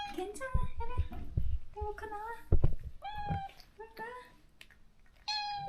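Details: Stray cat in a countryside yard, crying daily for a close companion it was separated from after neutering; a series of short, harmonic meows, some rising then falling, with a low rumble and faint voices underneath.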